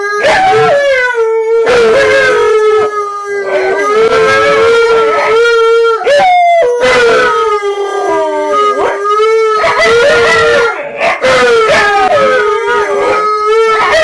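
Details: Home-alone Alaskan Malamute howling continuously: sustained mid-pitched tones with strong harmonics, interrupted by warbling rises, dips and short yips between phrases, the voice wavering and sliding throughout with no pauses.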